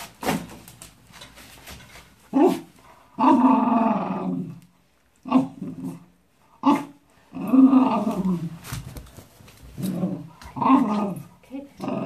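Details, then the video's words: Wire-haired fox terrier growling in protest while his paws are wiped after a walk: rough, rumbling growls in bursts of one to two seconds, broken by short pauses and sharper snarling onsets. "Post-walkies towel and growl"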